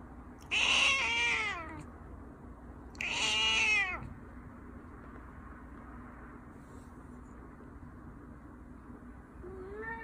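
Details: Persian cat shown in a live broadcast, giving two clear, drawn-out meows about two seconds apart, each falling and then rising in pitch, followed by quiet room tone and a faint short call at the end.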